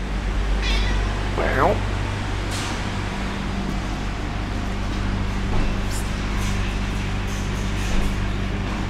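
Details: Domestic cat hanging around a supermarket in Abergele, possibly female, giving one short rising-falling meow near the start, over steady low store hum and a man speaking.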